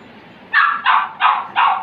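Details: Saint Bernard puppies, male and female, 35 days old, in Ballia, Uttar Pradesh, India; four short, bright barks or yips in quick succession, each about a quarter second, over faint background hiss.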